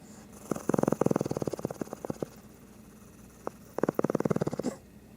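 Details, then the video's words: A sleeping Shih Tzu snores in quick rattling bursts, a run of rapid snorts, a pause with one lone snort, then another fast run, over a steady background hiss. "Shih Tzu snoring"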